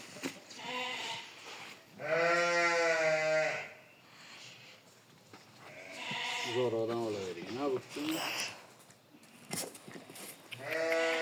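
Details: Sheep at shearing time: one strong, quavering bleat early on, then a shorter bleat later. Men's voices speaking Uzbek dominate the rest, with shuffling and clipping sounds.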